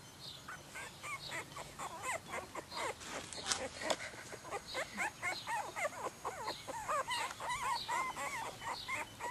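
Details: Croatian Sheepdog puppies whimpering and squeaking together, many overlapping high, wavering whines rising and falling in quick succession, about four per second, continuous chorus from several pups.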